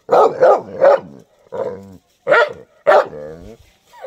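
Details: A white dog barks three times quickly, then gives a drawn-out moaning bark and two more loud barks trailing into whines, with a faint squeaky tone at the close.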